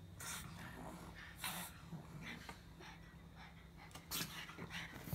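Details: Snorting pug grumbling in short raspy, breathy puffs, a few louder bursts near the start and end, with a quiet constant electrical hum underneath.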